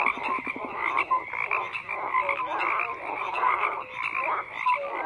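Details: Frogs croaking in a dense chorus: overlapping rattling croaks between mid and high pitch, short rising whistled notes scattered through, a steady buzzy band above, with a brief pulsed rattle near the start.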